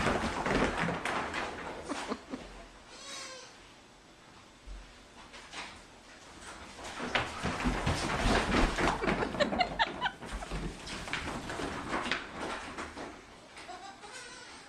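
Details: Young goats at play, chasing each other: a few quavering, wobbly bleats rise above a busy background of human voices, shuffling and clatter, with another bleat near the end.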